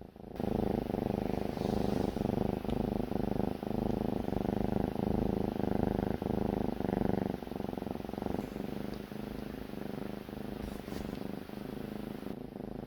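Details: Kitten snoring while asleep at dawn, waking the owner each early morning: a steady, low, rumbling drone with rapid pulsing runs on without pause, rising and fading slightly in loudness, with faint background hiss.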